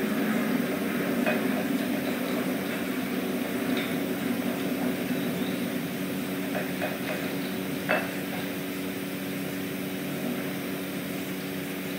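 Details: Steady mechanical hum with faint rustling and a few soft clicks, and no clear animal voice.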